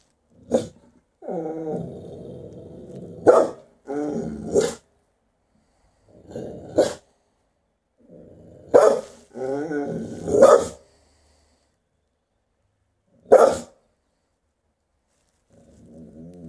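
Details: Half-blind female Rottweiler acting as a guardian, giving low, rumbling harmonic growls of one to two seconds between sharp, explosive single barks, spaced irregularly across the recording with short silent gaps.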